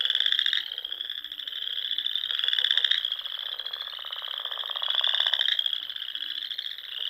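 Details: Spring frog chorus from small ponds in Nebraska's Sandhills dunes at dusk; steady high trills overlap with louder pulsed bursts every couple of seconds, a few faint low notes beneath.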